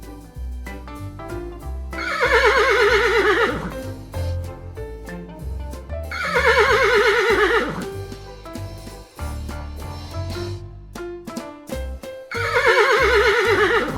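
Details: Horse whinnies three times, each a shaky, wavering neigh that falls in pitch and lasts about one and a half seconds, spaced roughly four seconds apart, over steady upbeat music with drums throughout.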